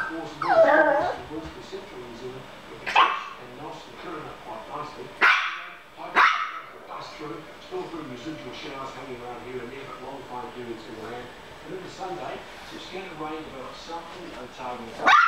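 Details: A Yorkshire Terrier battling a fly gives sharp, high yaps and brief whines between stretches of human talk.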